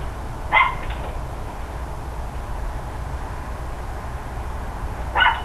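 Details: Distant neighbourhood dogs barking on an October morning: one harsh bark at the start and another at the very end, separated by several seconds of low, constant ambient rumble.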